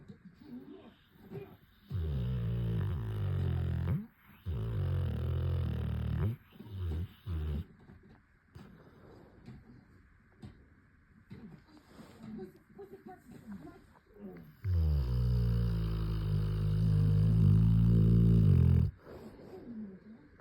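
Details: Tessa, a Cane Corso, snoring in long drawn-out bouts: deep, rumbling low breaths lasting two to four seconds each, separated by quieter pauses, indoors in a small room.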